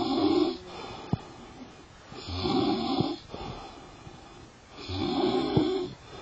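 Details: Lion asleep and snoring: three long, hoarse, rasping breaths spaced about two and a half seconds apart, each a broad raspy rumble rising and fading, with quieter pauses between.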